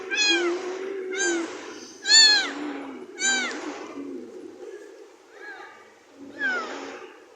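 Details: House cat meowing repeatedly: four loud, harmonic-rich meows about one second apart, each a short rising-then-falling arc, then two softer, fainter meows after a pause, with quiet speech underneath.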